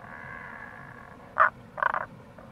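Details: Tago's brown frog in April beside a gorge on Itoshima's Kamo River, Fukuoka: one loud croak followed by a short rattling pulsed call, with running water in the background.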